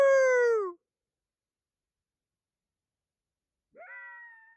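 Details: Coyote at night under the full moon: a short wavering tone sliding downward, then after a three-second silence a quieter answering call that rises and then holds level.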